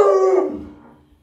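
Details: Luoluo, a pet Alaskan Malamute doted on by grandma, gives a short, tonal howl that starts strong and fades away within about a second, with no other sounds around it.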